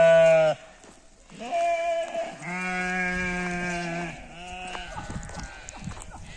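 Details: Sheep in a mountain village in Nepal, bleating in a series of harmonic-rich, wavering calls, several long sustained bleats with short breaks between, ending in softer broken calls with some background noise.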